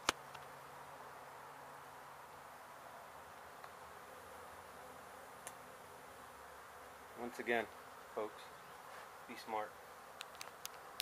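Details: Honey bee colony disturbed after construction crews struck its hive in an abandoned home being demolished in Mission, Texas, during a rescue and relocation; dense, steady droning hum of many bees throughout, brief human voices near the end, scattered faint clicks.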